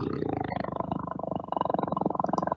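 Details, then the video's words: Tiger, recorded sound played back; such calls are said to be heard 3 km away, signalling presence to females and passing tigers. Low, rumbling pulsed growl with rapid throbbing beats, continuous for over two seconds, then stopping abruptly. "Est-ce que vous entendez mon tigre?"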